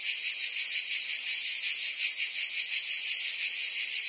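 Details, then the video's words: Cicadas buzzing in forest trees: a dense, steady, unbroken high-pitched drone with a faint pulsing texture, loud throughout and with no other sounds. "Ambient Cicada Sounds"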